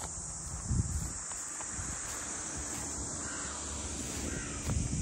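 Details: Cicadas in summer-style chorus at Ine no Funaya, the port house townscape north of Kyoto, Japan: a steady, high, hissing drone runs unbroken, with low footstep thumps and faint crow-like caws in the background.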